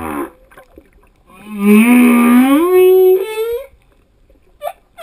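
A male humpback whale sings a long, harmonic moan that slides steadily upward in pitch.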